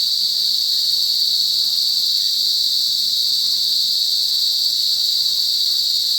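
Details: Unvarying high buzzing drone of cicadas in a forest, loud and constant from start to finish with no gaps.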